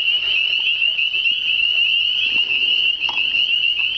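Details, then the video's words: Many frogs calling in spring, heard all around but never seen near calm water; a dense high-pitched trill runs continuously, its level wavering slightly, with a soft brief knock near the end. "Spring Singing frogs"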